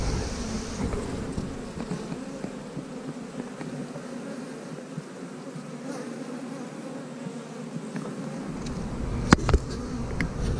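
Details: Honey bees of a colony taken from a house, with queen cells in the frame: continuous low humming buzz filling the clip, fairly level, ending with a few sharp clicks and rustles of handling.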